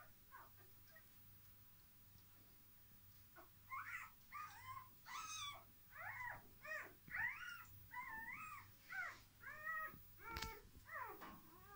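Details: Dogo Argentino puppies at a breeding kennel, during a relaxation technique: quiet at first, then a fast run of short, wavering whimpers and squeaky whines about once a second, with a steady low hum throughout.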